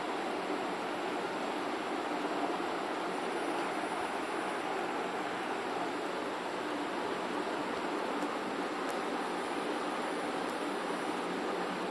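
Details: A steady, even hiss like rushing water or broadband noise runs the whole time, with no animal voice heard.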